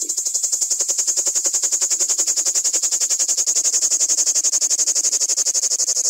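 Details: A common cicada (Lyristes plebejus), recorded at close range, sings a loud, high, buzzing rattle that pulses rapidly and steadily without a break.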